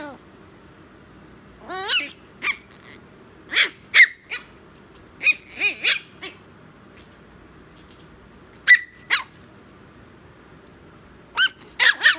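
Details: Told it is bedtime, a teeny Chihuahua puppy protests indoors with bursts of high wavering whines and sharp little barks, some clustered in pairs, separated by short silences.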